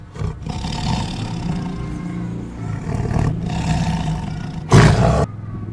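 A tiger gives a deep, rumbling roar that swells and fades over several seconds.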